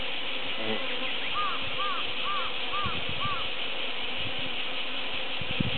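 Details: Japanese honey bees working buckwheat flowers at the height of summer, in a field left unattended for birds; a dense, steady, low buzzing drone throughout, with a bird's five short arched whistled notes early on.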